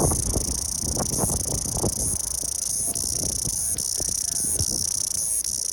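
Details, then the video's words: Cicadas droning in a dense, unbroken high-pitched buzz with slight pulsing swells, over low background rumble. "蝉鸣 Cicada"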